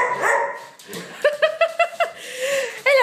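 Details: Pet dogs Sasha and her best friend Topaz playing together: a quick run of short, high yips with rich overtones, then a drawn-out whine and a sharp bark at the end, with a soft murmur in the background.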